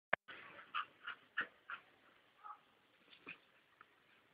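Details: ['A female Rottweiler whimpers after growing tired of fetching and hiding her ball indoors: a run of short, thin, high whines about three times a second, then fainter, more spaced whimpers.']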